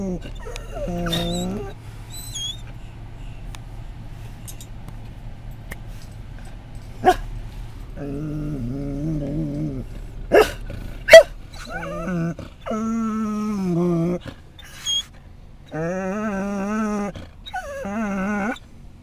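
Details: Scottish Terrier at a rest stop on I-10 in Florida, reacting to other dogs nearby: a series of high, wavering whines and whimpers in short bursts with pauses between, a few sharp clicks and knocks, faint background hum.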